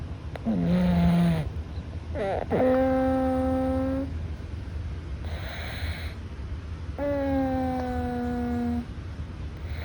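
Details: Sleeping Russian Blue rescue cat named Louis, nose a little blocked, gives three long whistling nasal breaths, each about one to two seconds, steady and slightly falling in pitch, separated by faint breathy hisses.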